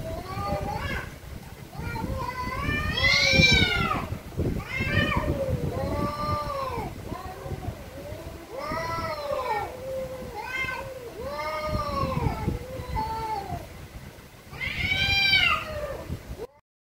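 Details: Angry cats meowing very loudly: a dense run of drawn-out, arching meows, some rising to strained high wails around the third and fifteenth seconds, with a low rumbling background throughout.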